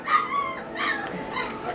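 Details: Great Pyrenees puppies of a litter at feeding time, giving high, wavering whines and squeaky yips in short overlapping bursts.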